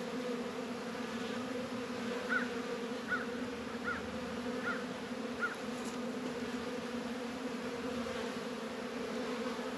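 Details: Even buzzing of honey bees at Warre and Langstroth hives, northern Kentucky, on a warm 72-degree February day. Five short high chirps repeat about once a second over the low hum.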